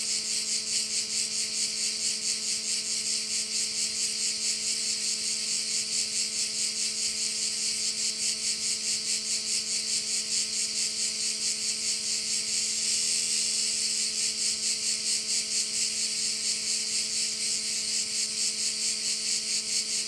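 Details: Korčula bay crickets keep up a shrill, pulsing chorus of about two beats per second. A steady low mechanical drone with several humming tones runs throughout, and the chorus briefly swells near the middle.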